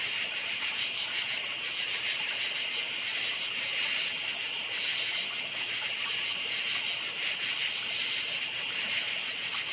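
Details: Crickets chirping at night in a forest: a dense, continuous high-pitched trill with rapid pulsing, many insects overlapping in a steady chorus, no other clear sounds.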